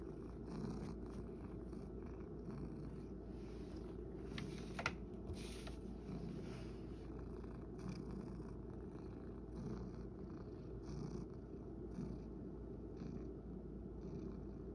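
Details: Continuous low, rumbling purr from Sacchan, a male rescue cat sharing a home at Kazeno Kobo with an elderly woman, held evenly for about fifteen seconds, with a few soft clicks and rustles and a sharp tap near the middle.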